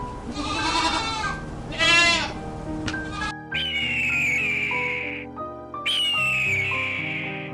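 A goat gives two wavering, nasal bleats, then a bright melodic music passage takes over.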